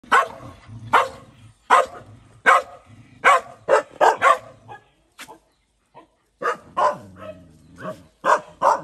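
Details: Dog angry at a bigger dog bullying him, giving sharp broadband barks in uneven bursts, roughly one every second, with lower growly harmonic tones between them and short pauses.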